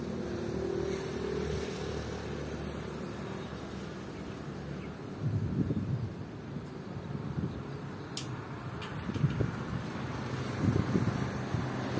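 Low traffic rumble and passing vehicles with a few sharp clicks; no bird or other animal voice can be heard.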